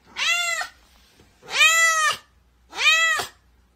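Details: Pet cat indoors meowing three times in a row, each meow a drawn-out, tonal, slightly arching cry of about half a second, separated by short quiet pauses; no other sounds.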